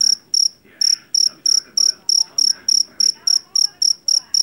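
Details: Jangkrik jeliteng, a Javanese field cricket caught in a rice paddy, known for its loud voice. Shrill, high pulsed chirps repeat steadily about three times a second, each a short burst with a bright overtone above, over faint low background murmur.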